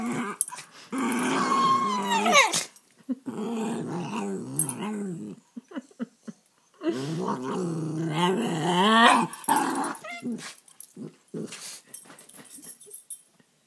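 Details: Two young rescue dogs, a rat terrier/Boston terrier mix and a beagle/Boston terrier mix, play-fighting indoors: bursts of rough, rumbling growls with snarly rising whines, separated by short pauses.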